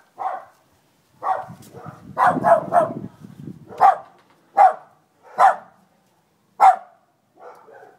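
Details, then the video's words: Female Jack Russell-Fox Terrier cross, adopted from a shelter, telling off a Labrador with a run of loud, sharp barks: a quick burst of three, then single barks about every second. "Ida Tells that Bloody Labrador Where to Go"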